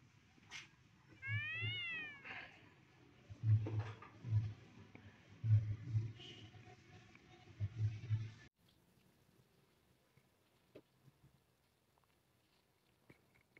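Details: Cat meeting a new friend gives a short harmonic meow with an arched, rising-then-falling pitch early on, while low thudding beats repeat every second or so before everything drops to near silence.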